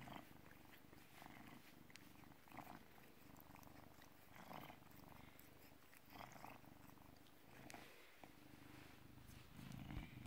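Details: Low, continuous purring from a British Shorthair cat born in 2010, filmed on an afternoon in November 2017. Rhythmic breathing swells rise and fall, and faint rustling is heard.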